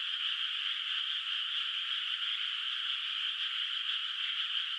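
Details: Many frogs in a moonlit rice field at night, before the rice is planted, call from a distance. Their overlapping trilling croaks form an unbroken, even wall of sound with faint rapid pulsing throughout.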